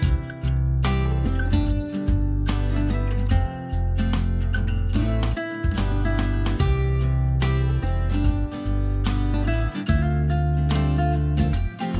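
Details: Steady acoustic guitar music with strummed chords and a deep bass line plays throughout, with no animal voices audible.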